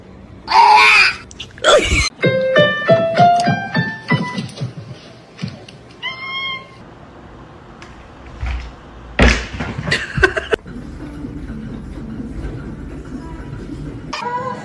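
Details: Kitten meowing and crying, a run of short harmonic mews repeated rapidly in the first half, then a few more later, over background music with people talking.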